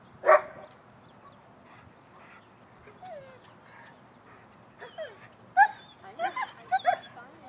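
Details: German Shepherd at a training class on 10 November 2019, as dogs arrive and walk around before the start of class; one sharp, loud bark opens, followed by quiet high whines and a cluster of yips near the end.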